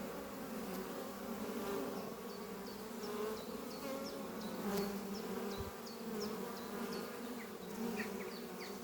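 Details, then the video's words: Bees of the Doppio hive, a horizontal oak-chest hive under trees, flying in on a spring morning carrying pollen; a full, even hum swelling and fading gently, with a bird's rapid high chirps running across it. "Relaxing sound of bees flying at beehive Doppio on a spring morning"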